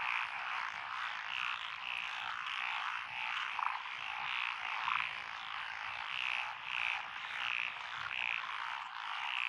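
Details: Night chorus of several frog species in lotus paddies of rural Echizen, Fukui, Japan, June 2021: steady dense croaking, with rhythmic short chirping notes repeated roughly twice a second over the din.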